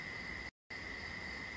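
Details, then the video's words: Crickets at night outside a ventilated hotel room in northern Thailand, with a river nearby: a steady, unbroken high insect drone with a brief cut partway through. "il y a un bruit de rivière, vous entendez ? Il y a le bruit des criquets,"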